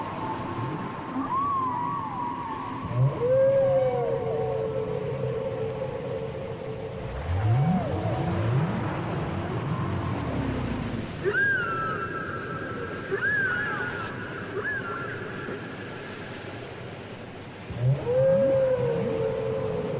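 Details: Whale song taken from a cassette: repeated upswept whoops and long sustained tonal moans at mid and higher pitches, some sliding downward, with deep groans in between, over a low rumbling background hiss.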